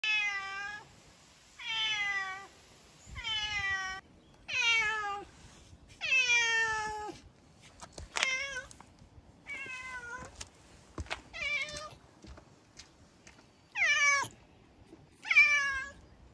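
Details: Two hungry stray cats in Japan, eating in the morning as spring nears; a run of about a dozen loud, harmonic meows, several falling in pitch, some shorter and rising, coming roughly every one to two seconds with quiet gaps between.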